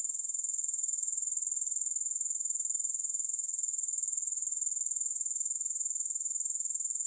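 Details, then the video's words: A continuous grasshopper trill, thin and very high, pulses evenly about four times a second without a break. No music or other sounds are heard. "Grass Hopper Sounds"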